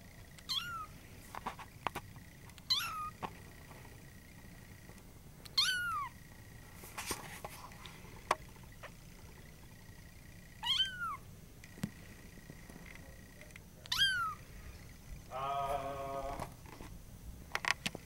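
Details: Male sealpoint Siamese cat giving a series of about six clear, falling meows every two to three seconds, then a longer, buzzy, rolling trill near the end, over a low steady room hum with occasional clicks.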